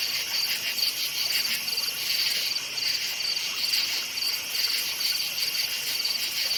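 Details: Forest crickets at night, a shrill chirp repeated about twice a second over an unbroken high insect drone, even and uninterrupted.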